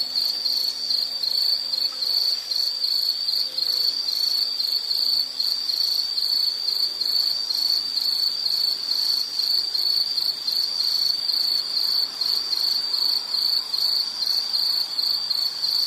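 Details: Steady high insect chirring with fine rapid pulsing, a continuous shrill band lasting the whole stretch, with a faint low hum early on.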